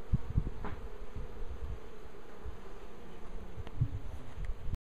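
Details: Constant droning buzz from a swarm of bees clustered on a tree, with scattered low knocks and rumbles before it cuts off abruptly.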